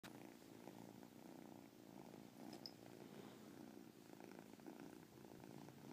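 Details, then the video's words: Caspurr, a pet cat, purring indoors with a chirp said to sound within the purr; a steady, low, rumbling drone with soft pulsing texture runs throughout at an even level. "Caspurr chirp purr"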